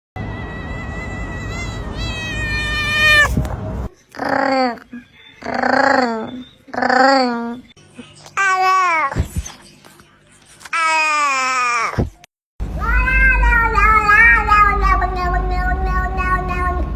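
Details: Domestic cat in a cut-together series of short bursts: drawn-out, wavering meows, some rising and falling, separated by abrupt breaks and a steady low hum behind.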